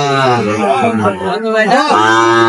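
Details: Sahiwal bull calf at a cattle market in Narayanganj, Bangladesh, on 3/6/25 while its price is bargained over; a long, low, steady moo with a brief dip near the end, overlapped by men talking.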